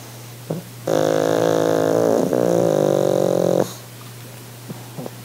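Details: Pug dog relaxing on holiday makes exaggerated purring sounds: a sustained, buzzing, harmonic rumble of nearly three seconds with a brief break midway, then quiet breathing with small snuffles.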